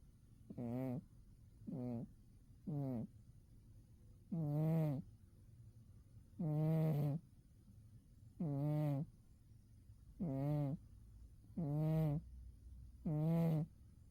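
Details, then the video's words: Umi, a pet cat zonked out asleep in winter, snores in low, voiced rasping breaths, each lasting about half a second and coming roughly every one to one and a half seconds, with quiet gaps between them. "Umi the cat winter zonks and snores"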